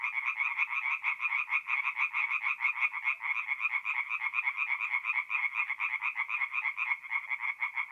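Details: Many tree frogs call together from a forest pond by night in mid-April, north-east Italy, producing an unbroken, rhythmic rattle of harsh croaks about two per second, layered and overlapping.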